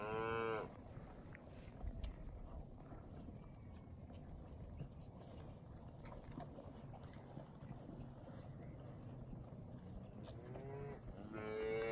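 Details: Herd of Angus, Charolais and Beefmaster type cows with their calves, including first-calf heifers, running with a Hereford bull; a loud, rich, harmonic moo at the start and another drawn-out moo at the end, with low rumbling outdoor noise between.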